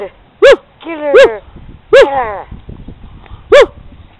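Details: Chihuahua puppy, female, playing in snow beside a snowman-like snow pup: four sharp, high-pitched yips with rich overtones, each short and arched, spaced irregularly over about four seconds, with faint background rustle between them.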